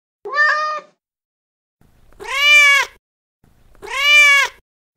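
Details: Cat in heat, a female calling for a mate, gives one short wavering meow followed by two long, loud, arched wails about a second each, spaced roughly two seconds apart.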